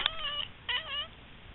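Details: Pet cat indoors giving two short harmonic meows in quick succession, each about half a second, the second slightly longer with a gently falling tone; quiet room otherwise.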